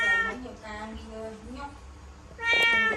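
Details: Cat stuck inside a laundry basket at home, giving drawn-out harmonic meows, a wavering one at the start and a louder one near the end, with a person's voice in between.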